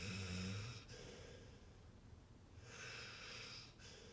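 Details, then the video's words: Pit bull in deep sleep: a short low snore at the start, fading into soft, hissing breaths that rise and fall slowly. "funny pitbull sleeping and snoring"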